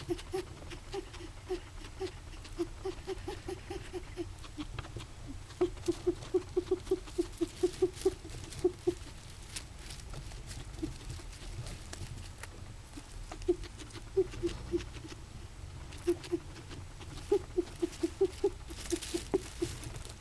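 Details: A guinea pig makes a strange morning noise its owner likens to wheezing, in quick runs of short, squeaky, low-pitched pulses over a steady background hum.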